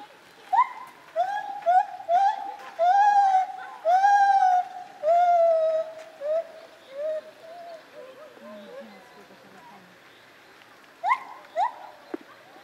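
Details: Lar gibbon, also called white-handed gibbon, at Zoo Opole in 2015: a run of loud, clear hooting notes, each sliding up then down, growing longer and stronger before fading into softer notes, with a final pair of short hoots.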